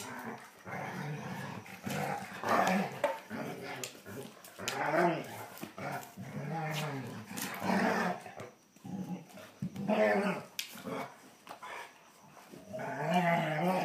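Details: Two German Shorthaired Pointers, an annoying younger male and an older female, growl and grumble in rough bursts as they tussle, with a person speaking between them.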